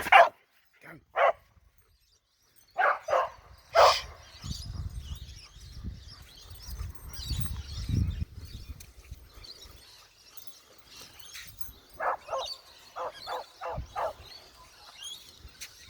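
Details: Australian cattle dog at Wellington Point barking in short bursts: quick barks at the start, a pause, a cluster of three, then a rapid run of five near the end, with a human voice and low outdoor rumble between.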